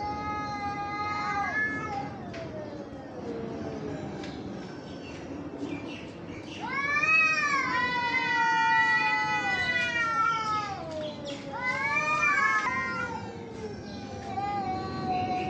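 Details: Fighting cats trade long wailing yowls that rise and fall in slow arcs, some overlapping, with brief gaps and clicks between bursts and a low rumbling background throughout.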